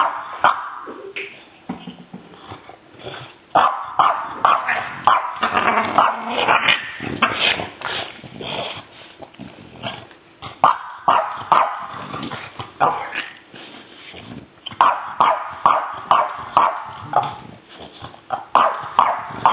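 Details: Playful aggression from Lydia, a French Bulldog pup baring her teeth: harsh growls and snarly yaps repeat in rapid bursts of roughly two per second, with a few brief pauses between bouts of noisy, gravelly vocalizing.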